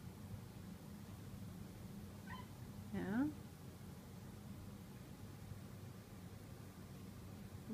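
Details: Domestic cat indoors, excited by a giant moth, gives a brief chirp, then a rising, wavering meow, with steady background hum.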